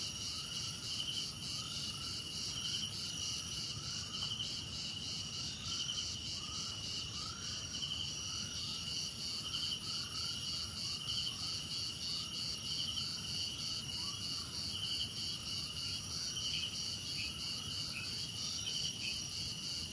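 Crickets chirp steadily in a dense, high-pitched chorus of overlapping trills.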